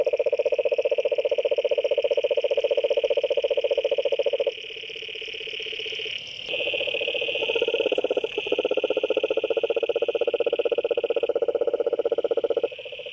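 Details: Steady, rattling trills from toads, a dense pulsed buzz that shifts level and pitch partway through as calls overlap, with a higher tone running alongside.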